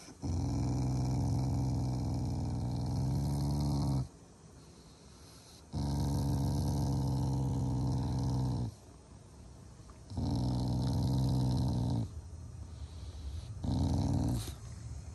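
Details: Shiba Inu, a family pet, growling affectionately at its owners during its morning routine, not in anger: long low rumbling growls of about four seconds each, separated by short quiet pauses, repeated four times.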